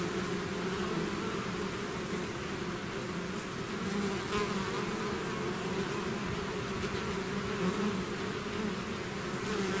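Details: Steady droning hum of a bee swarm leaving its hive, countless wings blending into one even buzz with layered low tones and a soft hiss above, unchanging for ten seconds.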